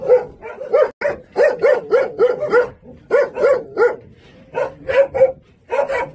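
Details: Jindo dog, a hunting breed kept at a local kennel on Jindo, coaxed by a man to 'say uncle': quick runs of short, tonal, yelping barks, several per second, broken by brief pauses.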